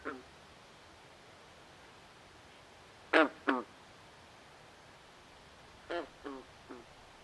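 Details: Frogs in a swamp after dark producing nasal, buzzy croaks, a loud pair followed by a fading run of three, separated by silence and faint steady hiss.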